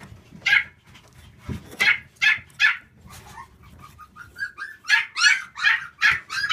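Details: Female black Shiba Inu at a kennel specialising in Siberian Huskies and Shiba Inus, giving a run of sharp, high yipping barks, roughly a dozen in six seconds, with softer whining notes between them midway through.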